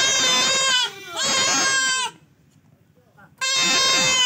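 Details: Male goat during castration lets out two long quavering bleats in quick succession, falls silent for over a second, then starts another loud bleat.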